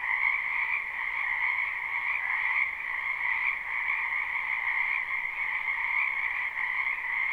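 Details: Spring wetland frogs calling together in a live recording: a loud, dense, continuous high trilling chorus with gentle rises and falls in volume, overlapping calls merging into a seamless ringing drone and no other sounds.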